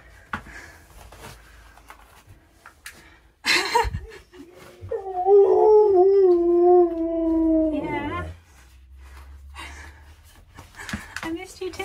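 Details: Joyful husky caught on hidden camera inside the home, crying as it realises its owner is almost back: scattered whimpers and knocks, then a long, steady, gently wavering howl lasting about three seconds before it drops away.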